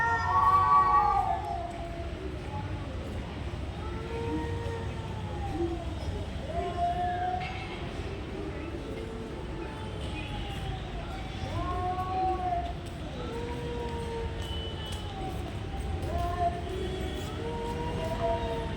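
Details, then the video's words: Fighting cats keep up a series of arched, moaning yowls that rise and fall repeatedly, overlapping one another over nearly twenty seconds, with low background rumble and occasional faint clicks. "Cat making weird noise | Cat fight"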